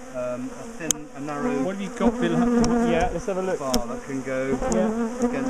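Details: Angry-sounding swarm of bees around a top bar hive during splitting and moving of the colony; a steady layered drone with wavering pitch sweeps as individuals pass close, plus a couple of sharp clicks.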